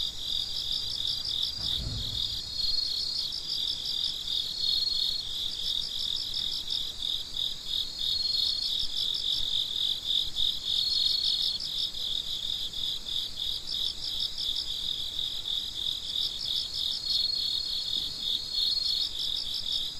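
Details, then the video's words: A midnight cricket chorus: continuous high, trilled chirping from many insects, with pulse trains that rise and fall in intensity. A brief low knock is heard near the start. "Gece Cırcır Böceklerinin Sesi - Huzur Veren Sesler - The Sound of Crickets"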